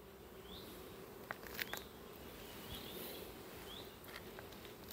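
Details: Honey bees from colonies requeened or swarmed in May give a steady, low droning hum as they fly fast in and out of their apiary hives, now working the sunflower flow.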